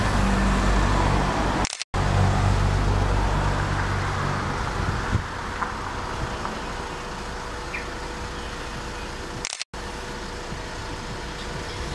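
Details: Steady road traffic and engine rumble fill the recording, broken by two brief dropouts, with no clear animal call.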